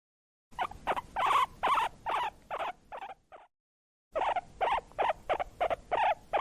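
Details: Guinea pig wheeking, a call given when hungry or excited: a rapid series of short, falling, squeaky notes, roughly two or three per second, with a brief pause midway before the series resumes.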